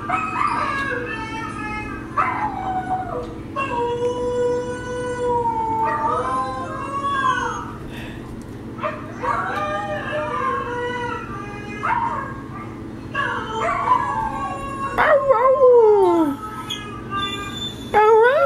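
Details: Howling pet dogs Denali and Echo answer recorded voices of Mishka and Laika, long drawn-out howls in overlapping layers, some wobbling, one sliding steeply downward, continuing in waves through the clip.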